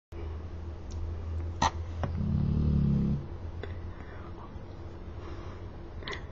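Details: Tyson, a pet dog, snoring loudly indoors: one rumbling, low-pitched snore lasting about a second, with a few sharp clicks and faint room noise around it.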